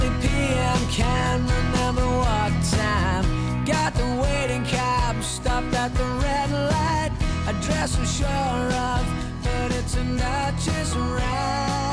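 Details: A loud, steady band track with singing and guitar plays throughout, with no animal voice standing out above the music.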